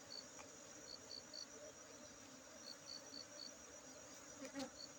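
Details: Honey bees at a honey bee centre in Aceh: a low, steady humming buzz with faint overtones throughout, while a high, repeated chirping pulses faintly in the background.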